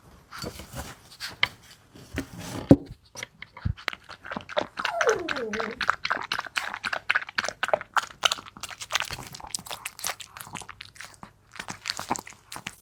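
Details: Maltese dog named Wanzi eagerly eating a nutritious meal indoors; crisp crunching and chewing clicks come in rapid irregular bursts with short pauses, the bites growing denser through the middle of the meal.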